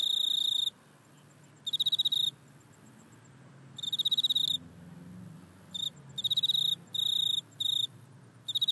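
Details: iPhone recording of a grasshopper in a back yard: sparse, high, tonal chirp bursts with longer irregular gaps at first, becoming closer together toward the end.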